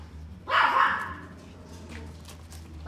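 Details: A male Yorkshire Terrier puppy, steel blue and tan, born 8 May 2018, gives a single sharp, high bark, with a second yap starting at the end.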